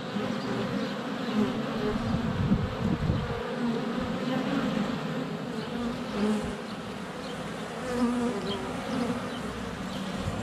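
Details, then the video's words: Many honey bees in flight at a hive entrance, sunny February, GoPro Hero 7 Black under a foot away; thick low buzzing drone throughout, individual bees rising and fading as they pass close, faint birdsong in the background. "4K Honey Bees - ambient video and audio"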